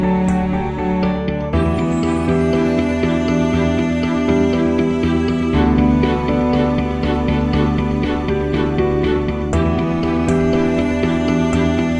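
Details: Soft, tender instrumental music with gently plucked guitar and sustained tones continues throughout, with no animal sounds.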